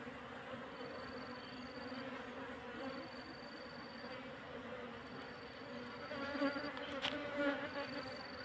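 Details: Quiet, continuous humming of wild Asian honey bees being relocated into a hive box, a steady low drone with overtones, broken by repeated faint high steady tones and a sharp click near seven seconds.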